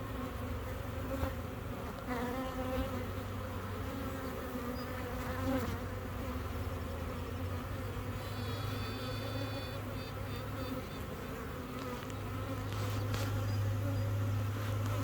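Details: A honey bee queen, newly laying in a found swarm, pipes with tooting, harmonic tones over the deep, steady hum of the colony.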